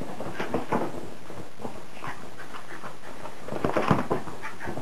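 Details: Maggie the Wire Haired Fox Terrier, still spry at 10 years old, tears at a frisbee in winter play, giving breathy pants and snorting bursts, loudest near the end, over steady scuffling.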